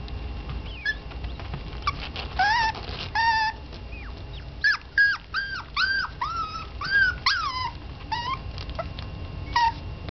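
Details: GiGi, a little female Yorkshire terrier up for adoption, whimpers in a series of high, wavering whines that rise and fall, coming in quick clusters over a constant low background hum.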